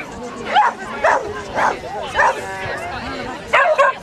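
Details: Small Munsterlander Bodi at the KCI Agility Festival 2010, Day 2, during agility runs in standard classes: short sharp barks, five in about four seconds, spaced unevenly, over a steady background of voices and crowd murmur.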